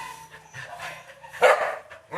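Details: Labrador Retriever giving a single loud, sharp bark after a stretch of quieter, muffled sounds, with a person's voice nearby in an indoor room.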